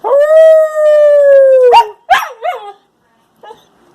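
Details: Husky Shepherd cross pup sings a sustained level howl lasting almost two seconds, then follows with a few quick, yodelling yelps that dip and rise before fading to near silence.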